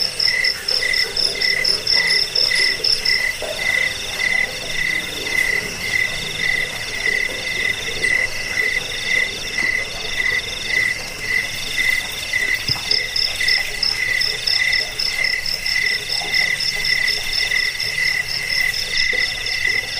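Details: Chorus of crickets (jangkrik), a recording meant for driving off rats, aiding sleep and tutoring cage birds: steady pulsed chirps roughly twice per second, with a shrill upper trill dropping out mid-way and returning near the end.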